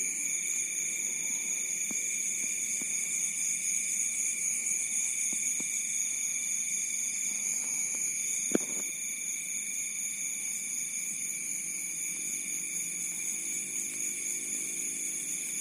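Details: Rice-field crickets at night in Bantul, Yogyakarta keep up a steady, high, ringing trill chorus, interrupted by a few soft ticks and one sharp click partway through, with quiet low rustling in the background.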